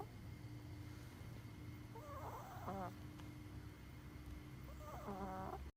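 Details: Sleeping short-muzzled Chihuahua snoring: a wavering, whistly nasal note on one breath, a quiet pause, then another buzzy whistling snore, with a constant faint hum in the room.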